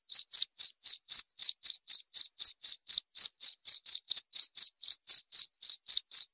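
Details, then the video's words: Cricket chirping in a steady, quick rhythm of about four short, high, clear pulses each second, each pulse with a faint, higher overtone, against complete silence with no other sounds. "Suara Jangkrik"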